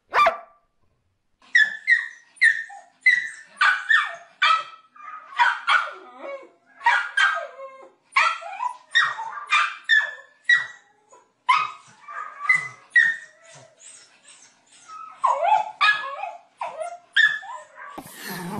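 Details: Dog barking and yipping rapidly in a funny compilation, a dense run of high, sharp barks with few pauses, ending in a burst of noise.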